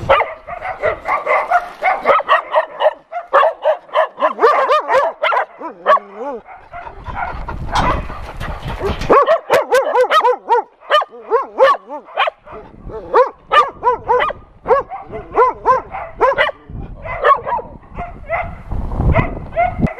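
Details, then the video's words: A crowd of shelter dogs at an adoption center barking and yelping toward a TV crew, dense overlapping barks with pauses, a few drawn-out whining notes, and bursts of higher yips. "Dogs from the Adoption Center talking with NRK TV crew"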